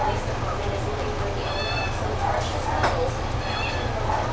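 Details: Domestic Shorthair cat available for adoption, recorded July 24, 2015, giving short drawn-out meows against a loud constant low mechanical hum, with people talking nearby.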